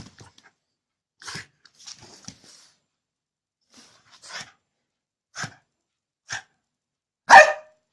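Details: Angry bulldog indoors, barking in short, sharp single bursts spaced a second or more apart, growing louder toward the end with one loud final bark; quiet gaps between.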